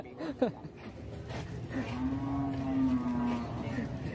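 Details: A loose, rampaging cow causing an uproar as it barges into a shop gives one long, steady moo lasting about two seconds, low and even with faint harmonics, after a brief sharp knock, over low background noise.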